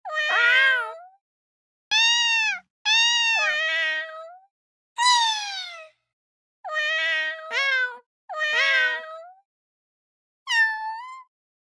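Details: Domestic cat repeatedly meowing: about eight plaintive, tonal meows, some doubled into two quick notes. Pitch bends up and down within each call, with short pauses between them.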